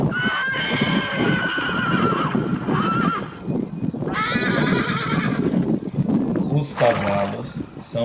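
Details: Herd horses producing drawn-out whinnies with stacked, wavering harmonics, two long calls overlapping, amid dense low rumble of hooves and a short sharp noise burst near the end.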